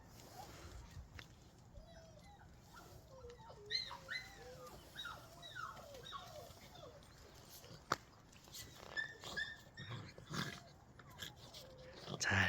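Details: Relaxed pet dogs indoors: a series of short high whimpering yelps, rising and falling, clustered over several seconds, with a person talking and handling sounds.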